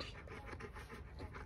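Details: Bernese Mountain Dog panting softly indoors, a quick run of quiet breathy puffs at an even pace, with faint background room noise.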